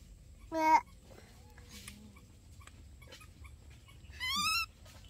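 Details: Baby monkey from the pair Dorn and Dum, shown in daily life: two short high-pitched squeals. The first is brief and sharp; the second, about three and a half seconds later, wavers and rises. The room is otherwise quiet.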